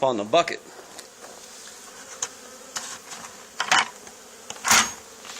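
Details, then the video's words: Honey bee swarm settled on the wall of an old barn, where a hive had been cut out two days earlier. A steady low hum of buzzing runs throughout, with a brief human voice at the start and several sharp knocks and clatters. "Honey Bee Swarm"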